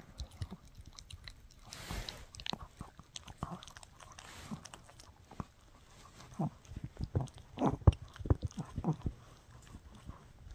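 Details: Mikki the Shih Tzu puppy chews a no-hide bully stick indoors, a rapid irregular run of crunching, clicking bites about two per second, quieter at first and intensifying in the latter half.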